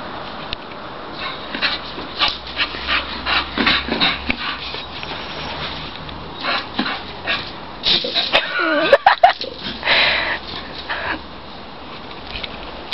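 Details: Pet English Bull Terrier Ruby, worked up after hearing a neighbour's Labrador, gives shrill squeaky whimpers in irregular clusters, with a louder squealing flurry midway and brief human voice near the middle.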